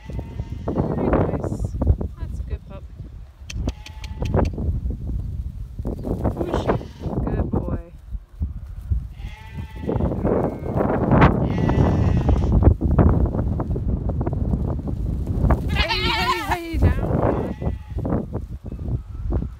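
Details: Goats being worked by a six-month-old stockdog give several wavering, harmonic bleats, the loudest near the end. Throughout, a man speaks encouragingly to the dog, with heavy low trampling and rustling.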